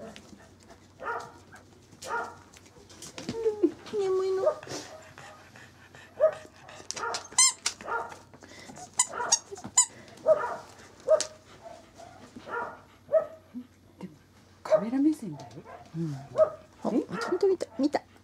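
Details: Male Corgi puppy, born 19 January 2012, recorded on 26 February while waking up: short whimpers, yelps and soft squeaky cries scattered through the clip, mixed with frequent human talking and coaxing nearby.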